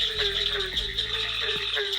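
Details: In the North Carolina Sandhills, cricket frogs give a high, insect-like chirping chorus, loud, steady and shrill like little crickets. They are usually found in large groups calling together.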